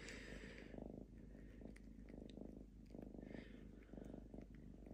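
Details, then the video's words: Diva, a home-kept lynx, purring calmly among her people: a deep pulsing rumble that swells and fades in bursts about every half second, alternating with inhaled phases, with light scratchy rustling on top. "Мурчание рыси"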